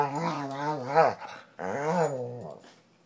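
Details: Indoor dog on a couch, decompressing after the day, gives two drawn-out grumbling growls, each about a second long, harmonic and wavering in pitch, with a short pause between them.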